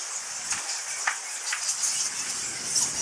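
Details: Fruit bats of a huge roosting colony, said to number a million, at the mouth of the cave at Goa Lawah Temple in Bali; a dense, constant high chatter of overlapping squeaks with brief sharper notes, plus faint outdoor background.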